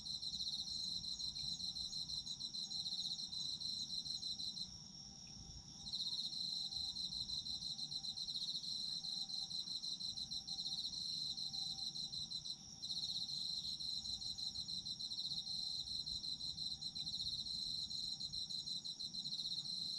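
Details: Chorus of autumn insects heard as a relaxing night soundscape: continuous high pulsed trilling from several insects at once, briefly dropping away near the fifth and thirteenth seconds before resuming at full strength.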